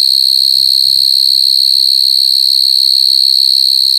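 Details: High, ringing, unbroken trill of coconut crickets with rapid regular pulsing, along with a couple of soft low knocks near the start.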